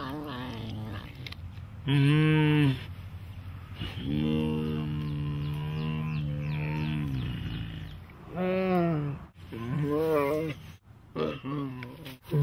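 A big cat gives deep, drawn-out moaning calls with rich harmonics, interspersed with shorter wavering cries.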